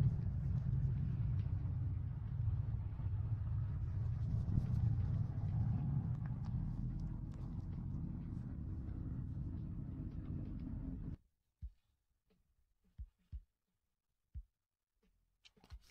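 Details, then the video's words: Cat named Guba Guba purring for relaxation and sleep: a loud, continuous deep rumbling throb lasting about eleven seconds, then stopping abruptly, followed by near-silence broken by a few soft clicks and taps. "Relaxing Sounds Guba Guba to Help You Sleep"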